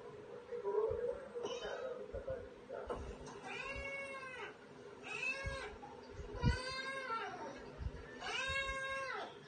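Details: Domestic cats, two in the household, giving a series of drawn-out meows, each arching up then falling, about four calls spaced one and a half to two seconds apart, with faint room noise between.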